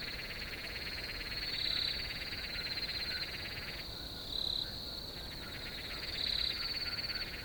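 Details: Crickets in a field chirp in a steady, high-pitched chorus that swells briefly every few seconds.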